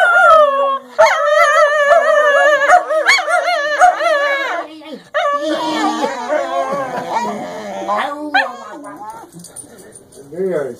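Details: Two English Cocker Spaniels howl a duet in long, wavering, tuneful notes, with a lower voice singing along.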